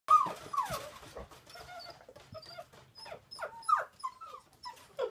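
A puppy whimpers in high, wavering whines and short squeaky yelps, some sliding up and down.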